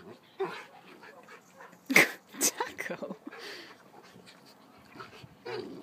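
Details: Dog wrestling in play: sharp, loud bark-like yips in quick succession around the middle, softer grumbles and a short whine later, with human voices talking alongside.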